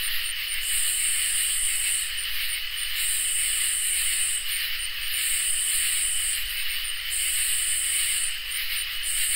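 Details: A summer night insect chorus of crickets and katydids, recorded in high definition: a steady shrill drone with a very high buzzing phrase that repeats roughly every two seconds, each burst opening with quick ticks.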